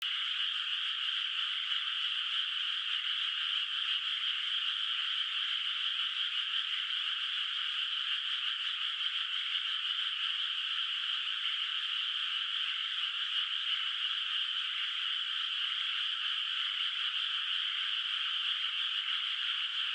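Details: Frogs calling at night in a moonlit countryside rice field, water not yet planted with rice, heard from a distance; a dense, unbroken chorus of overlapping trills fills the whole clip at an even level, with no other sounds.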